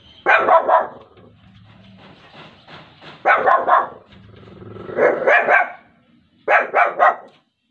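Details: Muffin the Shih Tzu barking indoors in four clusters of rapid, harsh barks spread over about seven seconds, each cluster two to four barks, with low growling filling the gaps.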